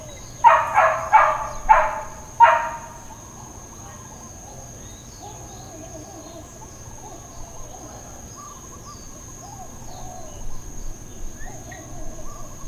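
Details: Dog in Hawaiian Paradise Park, Hawaii, barking on Labor Day, September 2, 2024, as part of uncontrolled intermittent neighbourhood barking: four quick harsh barks in a burst, then a pause with faint birds and a steady high electrical whine.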